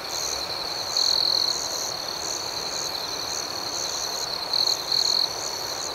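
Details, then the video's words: Nighttime cricket chorus outdoors: continuous shrill chirping overlaid by a louder sustained trill around one second in, then two short bright trill bursts near the close. "Soothing Cricket Sounds"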